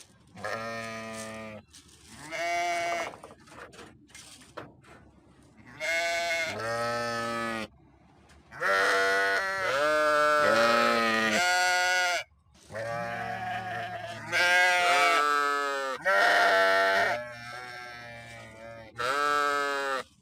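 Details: Repeated sheep bleats: a run of trembling, nasal cries, each roughly one to two seconds long, coming in irregular bursts with brief silences, some higher and some lower in pitch.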